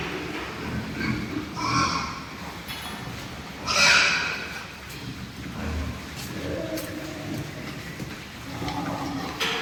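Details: Lean pigs over three months old, born and raised on a pig farm, let out a loud, harsh squeal near the middle, with scattered lower grunts, clattering pen noises and human voices throughout.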